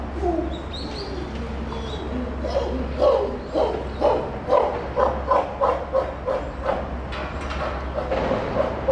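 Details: Captive chimpanzee Puteri at Tennoji Zoo, Japan, December 2021, calling near Rickie's group: a run of short, hoarse, panting cries repeated about twice a second, building steadily in loudness, over a constant low hum.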